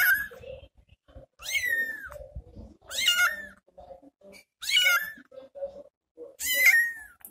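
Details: Small kitten calling after its mother left to hunt for food: loud, harsh meows that start high and slide downward, repeated roughly every one and a half seconds, with faint chirps and rustles in between.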